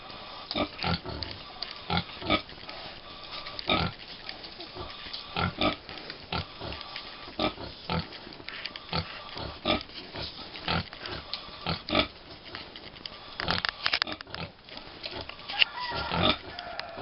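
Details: Tiny American Guinea Hog piglets aged five weeks, Wood Prairie Family Farm; soft, clipped grunts and snorts come in quick irregular bursts over a quiet farmyard background.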